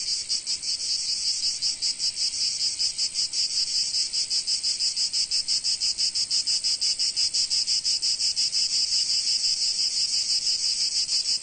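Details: In sunny Provence, cicadas produce an unbroken high-pitched rasping drone made of fast, fairly regular pulses, about three each second, with no other noises.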